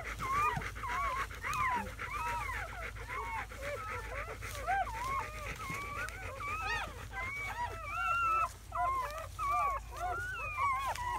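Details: Newborn German Shepherd pups, a litter of seven (four male, three female) in their first hours, May 2017. Wavering, bending whines and squeals from several puppies run together, some cries sliding up and down in pitch.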